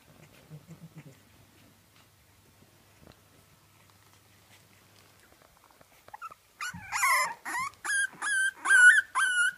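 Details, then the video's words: French Bulldog puppies: after about six seconds of near silence, a burst of high, harmonic whines and yelps starts and repeats in quick, evenly spaced pulses to the end. "Puppies French Bulldog"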